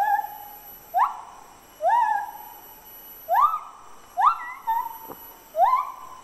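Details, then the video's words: A male White-handed (Lar) gibbon, Hylobates lar, sings clear, hooting notes that swoop upward, repeated every second or so. "Lar Gibbon Singing (Male)"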